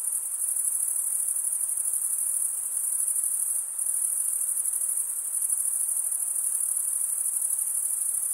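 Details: A steady wall of high-pitched cricket stridulation, produced by males rubbing their serrated wing veins together, continues without pause; a brief dip in volume occurs midway, then the same shrill trilling resumes.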